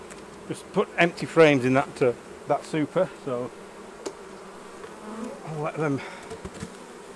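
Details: Buzzing honey bees around hives being opened for the honey harvest. Close bees pass in quick bursts of wavering, pitch-sliding buzz, many in the first four seconds, over a constant humming background of the colony.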